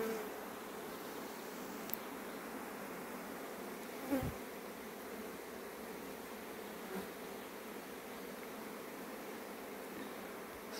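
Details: Dense, steady droning hum of many honey bees flying fast back home just before rain, which arrived three minutes later, with no break in the sound.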